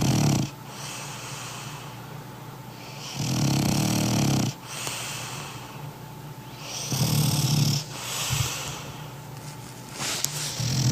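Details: A large French Bulldog of about 20 kg snores loudly while asleep, with deep rattling inhales and hissing breaths about every three seconds.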